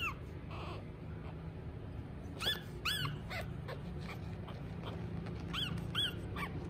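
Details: Pug puppy, a small female, whining indoors; several thin high whimpers rising then falling in pitch, mostly in pairs, over a low steady background hum.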